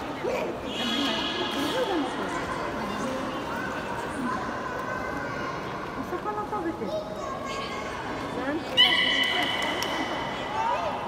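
Beluga whale giving high, harmonic squeals and wavering whistles over a crackly, clicking background.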